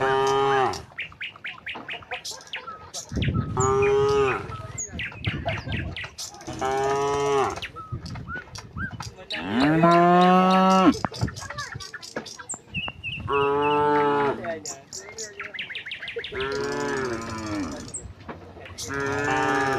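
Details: Dozens of tame cattle filing out of the barn onto a broad green pasture, lowing in turn: repeated moos of varying length and pitch, one longer rising call midway, amid clatter and occasional bird tweets.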